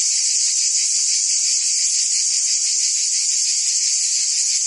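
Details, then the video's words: A Provence summer chorus of cicadas in France: a constant, intense, metallic buzz, finely pulsed and unchanging in volume across the whole stretch, with no other sounds present. "Cicadas singing in France (Provence)"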